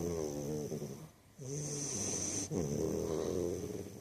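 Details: American Bulldog puppy asleep, snoring with buzzy, wavering harmonic breaths; one breath ends with a short gap near the middle before the next rasping snore begins, over a constant high-pitched hum.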